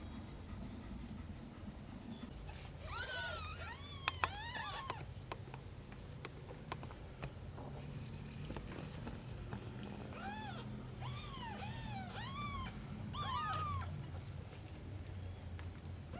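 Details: Cat Shin tending aunt Camel's kittens; two bursts of high rising-and-falling meows, several quick calls each, separated by a quieter stretch with sharp clicks and a low hum.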